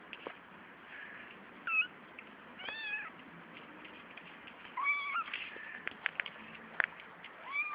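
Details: Litter of five kittens born three weeks earlier, two males and three females, giving thin high-pitched mews, short rising and falling cries scattered irregularly across the recording, several close together near the middle, over a steady background hiss.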